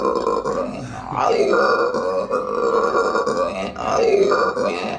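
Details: Aruba howler monkey calling in hoarse, rasping roars, sustained grunting bursts that rise and fall in loudness roughly once or twice a second, throaty and belch-like throughout.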